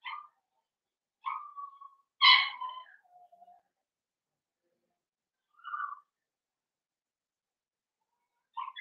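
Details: Young blenheim Cavalier King Charles Spaniels, one of a five-puppy New Year litter, whimpering indoors in their pen: a few brief squeaky whines and one louder yelp, spaced out by several seconds of quiet.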